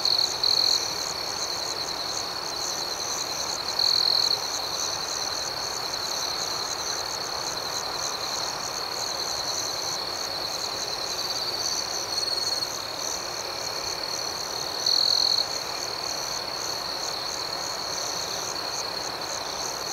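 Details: A night chorus of crickets in an outdoor setting keeps up a continuous high ringing drone. Short, louder trills break through at the start, around four seconds, near twelve seconds and at fifteen seconds.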